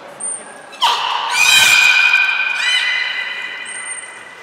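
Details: Captive belugas Hodoi, Taanya and Mirai at Port of Nagoya Public Aquarium, March 2021, moving pools and training: a long, bright, buzzy squeal with steady harmonics lasting about two seconds, framed by short high whistle tones.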